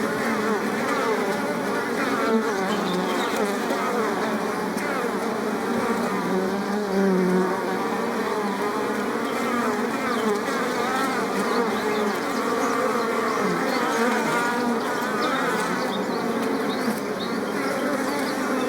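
Steady, dense buzzing of many bees, a layered drone of wingbeats that never lets up.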